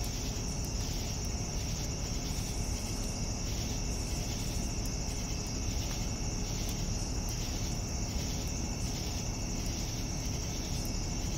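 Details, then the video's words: Evening cricket chorus, a continuous shrill trill paired with rhythmic lower chirps pulsing about twice a second, set against steady deep background noise. "Evening Cricket Sounds"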